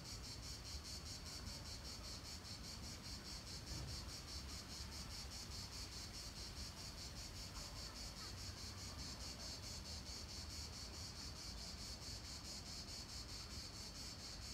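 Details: In Nancy's Palais du Gouverneur park, late July 2017, cicadas keep up a steady shrill buzz, rhythmically throbbing several times per second without pause, while low traffic-like rumble fills the background.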